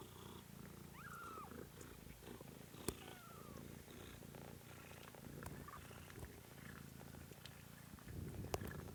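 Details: Steady low purring from a kitten named Pom in a home kitten stream, joined early on by one brief high mew and a few soft clicks and knocks.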